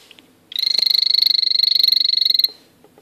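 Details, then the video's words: Blue poison dart frog, an azureus male kept as a pet, calling: one loud, rapid, rattling high buzz about two seconds long, pulses even and pitch steady, with faint clicks and hum before and after. "Azureus calling ( mon mâle azureus qui chante )"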